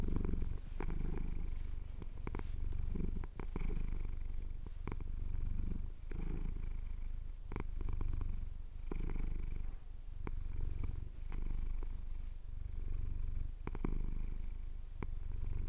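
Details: A male cat purring contentedly as his chin is scratched, Cotswold hills at sunrise, Tascam DR-07X recording: a continuous low vibrating purr that rises and falls in breath cycles of a little over a second, with scattered light clicks.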